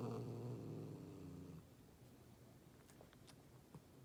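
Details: Angry, threatening domestic cat growling: a low, harmonic-rich rumble held for about one and a half seconds, then fading into quiet room noise with a few faint clicks.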